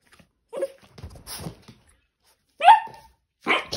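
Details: A puppy gives short, sharp yappy barks in separate bursts, with the loudest, highest bark near the end, in a quiet indoor room.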